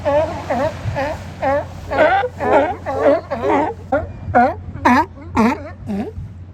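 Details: Sea lions at Kiddie Beach in Oxnard, California, resting on the sand, bark hoarsely and steadily, roughly two rough, rising-falling barks each second, about a dozen in all, over a faint low hum.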